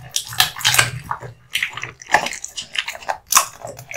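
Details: Male American Bully named Kotetsu chews raw meat and bones. Moist, squelching bites and smacking sounds repeat several times a second, giving a slurpy, wet texture with short gaps.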